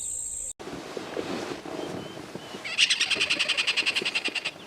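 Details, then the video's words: At Lapalala, a tree squirrel alarm-calls at a black-shouldered kite, giving a sharp, rapid chattering alarm of about ten clicky notes a second for two seconds, after soft outdoor rustling and a brief high whine. "In this next clip, we have a tree squirrel alarm calling for a black-shouldered kite."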